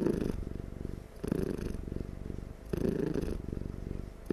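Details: A dozing cat purrs loudly and steadily, a low rumbling throb pulsing in rhythmic waves that swell and fade about every one and a half seconds, recorded close up indoors.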